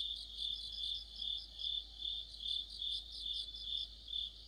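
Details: Crickets and fellow insects singing together in deep autumn by a streetlight, a bright continuous high-pitched trill swelling in regular pulses roughly twice a second, layered voices forming a dense chorus.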